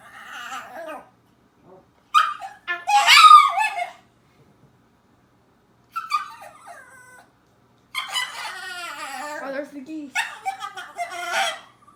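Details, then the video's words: A male dog in his cage lets out shrill, wavering screams and odd yodelling whines in uneven bursts. "My dog screaming and making weird noises (part 2)"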